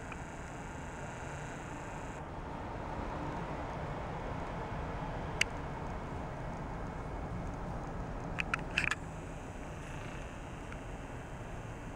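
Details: Steady outdoor background hiss with a few sharp clicks and brief taps, no animal voice.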